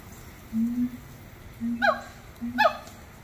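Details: Singing monkeys at Little Rock Zoo give three low, level hoots, then two higher, rich cries that slide downward, about a second apart, against a quiet background.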